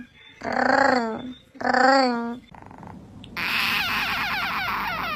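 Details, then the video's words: Cat giving two drawn-out, wavering yowls, each under a second, with a short gap between, followed by a burst of loud broadband noise. "Funny cat sounds"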